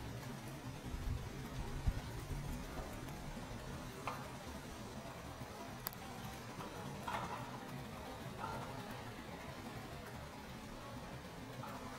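Steady low rumble with a few faint clicks and taps and no clear animal calls.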